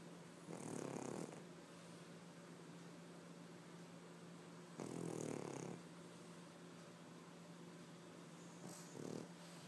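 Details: Three-year-old white male Pekingese snoring loudly while asleep indoors: three broad, rough, low breaths roughly every four seconds, each lasting under a second, with quiet steady hum between them.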